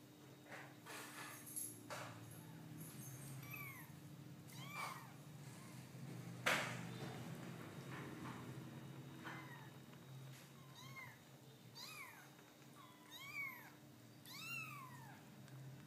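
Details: Cat giving a string of thin, high meows, each rising then falling, coming every second or two and bunching near the end, over a low indoor hum with occasional knocks and thuds.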